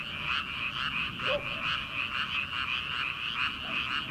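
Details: Rice-paddy frogs at the start of summer, before transplanting, croaking together in an unbroken, rhythmic, throbbing chorus that swells and dips gently, with one brief sharper note near the middle.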